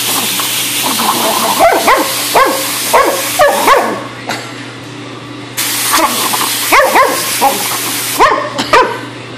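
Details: Dog freaking out and attacking an airgun hose, giving a series of sharp, excited barks and yips in short bursts, several close together around the two-second mark and again near seven and nine seconds, with a steady low hum and hissing noise behind.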